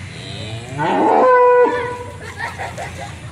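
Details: Belgian Blue cattle kept on a farm in Mijen, Semarang, Central Java; one loud, steady, drawn-out moo of about a second, then fading, with faint background music.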